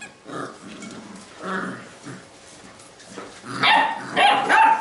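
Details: Labrador retriever puppies of a B litter at play, giving short gruff barks and growly yaps in scattered bursts, louder and brighter toward the end, with soft scuffling between calls.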